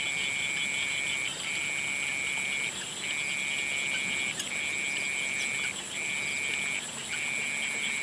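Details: Frogs calling at sunset: long, steady high trills repeated one after another with brief gaps. A constant thin, very high whine runs underneath throughout.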